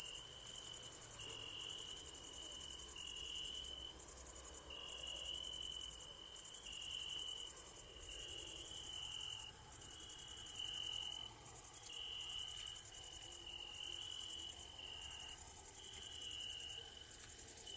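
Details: Crickets chirp through an evening ambience: a constant thin, high ringing sits above a lower trill that pulses in short bursts separated by brief gaps, with faint low background rumble.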